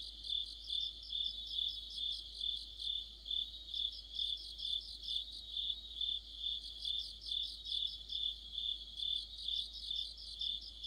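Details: Mid-autumn insect chorus led by crickets by a streetlight, a shrill unbroken trill topped with bursts of fast pulsed chirps, loudness rising and falling in steady beats, many overlapping singers, no other sounds.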